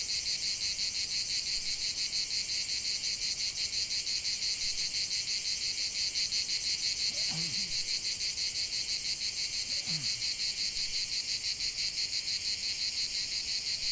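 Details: Singing cicadas form a steady, piercing buzz beating about three times a second, with two faint low swooping sounds in the background midway.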